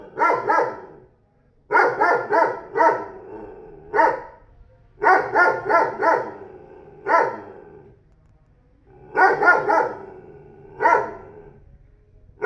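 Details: A neighbour's new 40 kg dog barks persistently, giving clusters of three or four loud barks and occasional single barks, repeated roughly every two seconds over the whole stretch.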